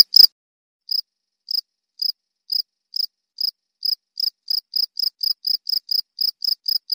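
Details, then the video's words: Cricket calls recorded as training material for songbirds: after a brief click, clear high chirps begin nearly a second apart and gradually quicken into a fast regular series. "KOMPILASI SUARA JANGKRIK"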